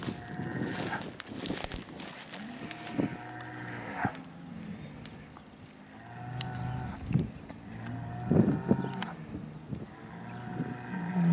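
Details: Hereford bulls, big herd sires being moved around for fertility testing, give low, drawn-out harmonic moos several times, with brief clanks and knocks and people shouting between the calls.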